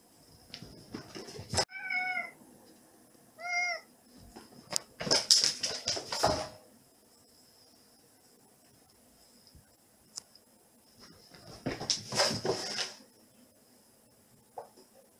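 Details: Domestic cat Eight, indoors at night in a small air-conditioned room, excited by a big hairball toy made from housemate Seven's brushed-out fur, then playing fetch: two short tonal meows, followed by thumps, rustling and clatter.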